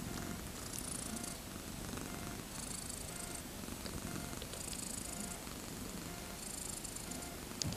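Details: Thirteen-day-old kittens, born 31 August 2014, wanting to play: a low, continuous rumbling purr fills the clip, with faint steady background tones and intermittent bursts of high hiss.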